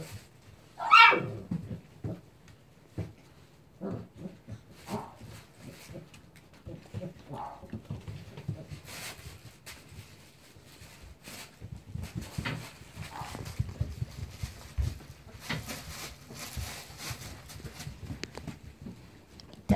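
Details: One-month-old Standard Poodle puppy indoors gives a single sharp, high whine that rises and falls early on, followed by scattered soft, short whimpers, snuffles and rustling in a quiet room.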